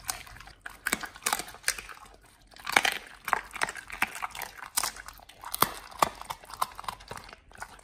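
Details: Pit Bulls on a raw diet eating beef trimmed chunk, quail egg and duck wing; crisp crunching bites repeated about every half second, steady and close.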